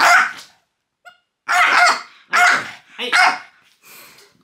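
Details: Loki the French bulldog, teased with pointing fingers, lets out a string of loud, rough barks, one short yip among them, ending in a softer growly bark.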